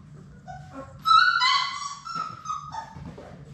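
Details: Playful Labrador Retriever pup from a litter of six in an indoor play room gives a few soft squeaks, then a loud, strained whine that slides downward into a long drawn-out whimper over a low steady hum.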